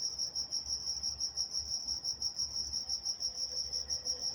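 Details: Walnut, California crickets calling after dark: a rhythmic high chirp repeating about three times per second, steady in pitch and loudness, over a quiet, slightly rumbling night backdrop.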